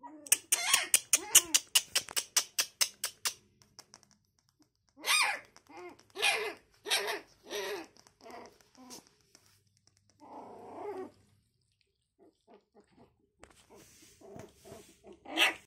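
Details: Puppies learning to walk give short, thin, high squeaks and whimpers in scattered bursts. Before them comes a run of rapid, sharp taps, and brief pauses of near silence fall between the calls.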